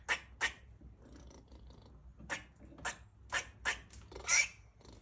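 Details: Bestie, a rescued female squirrel kept as a pet, in heat while eating her food; sharp, scratchy chirping barks, about eight short bursts spaced irregularly, with a small indoor room's quiet hum behind.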